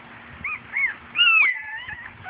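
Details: Puppies, four and a half weeks old, on their first outing outdoors with their mother and half sister; thin, high whimpers rise and fall, ending in a longer drawn-out whine, over a background of outdoor noise.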